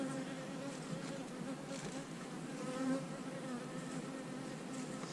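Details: Honey bee colony humming as hives are divided into splits with queen cells. A dense, steady drone with stacked harmonics holds unbroken for the whole stretch, with individual bees whizzing past in brief higher swells.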